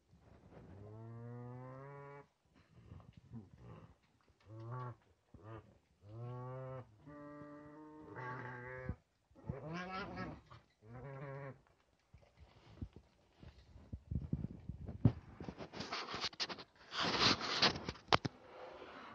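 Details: Nutria kept on a farm, where a male has been introduced to a group of eleven females. Long low moans break into shorter pulsed calls. Later, loud rustling and clattering noises take over.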